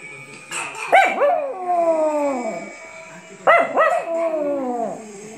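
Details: Chihuahua howling on hearing bells: two howls about three seconds apart, each with quick rising yips then a long, slowly falling wail, with a faint high ringing tone throughout.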